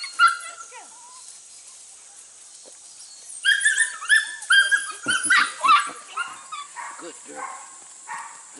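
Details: ABCA-registered Border Collie pups, six to eight weeks old, first time working goats in 2019. A single sharp yelp opens the clip, then a quiet stretch, then a burst of shrill, harmonic barking yips, while a man talks to the dogs.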